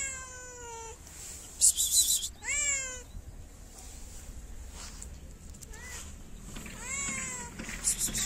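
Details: Hungry stray cat in a Moroccan city, meowing for food but wary of people: a long falling meow, then several shorter arched meows spaced unevenly, with rustling noise bursts between them.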